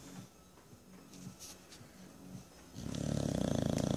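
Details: Jenson the bulldog napping on a lazy Sunday: faint soft breaths at first, then a loud, buzzing, rumbling snore building in the final second.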